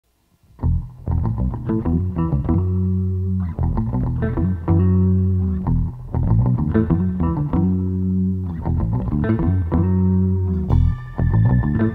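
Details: Plucked electric guitar and deep bass music plays throughout, with no animal sound.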